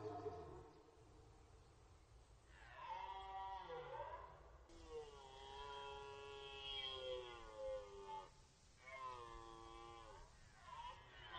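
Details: Red deer in rut on the Orzysz military training ground, archival recording: a series of long, wavering, strongly harmonic roars, several seconds each, separated by short breaks, with faint background hiss.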